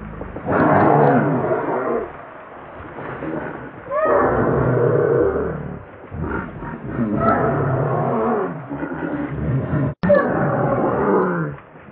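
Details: Baby macaque crying and begging its mother for milk: loud, harsh, wavering wails in long bursts of about two seconds, four times, with short quieter pauses between.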